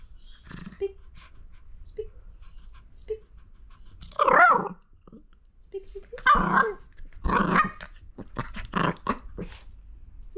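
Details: Miniature Fox Terrier play-fighting with a hand, letting out snarling growl-barks in short bursts, three strong ones followed by a quick string of yaps, with light scuffling between.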